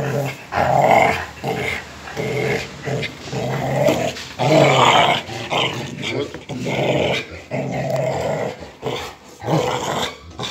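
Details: Rottweiler dogs tugging and fighting over a motorcycle tire, producing long, harsh, throaty growls in repeated surges roughly every second, with some human talk in the background.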